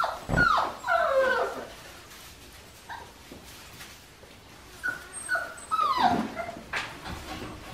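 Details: Five-week-old Australian Shepherd puppies from Priscilla's litter, bred in Oklahoma, give high, thin whimpers and short yips, with two clusters of falling whines near the start and again after a quiet stretch in the middle.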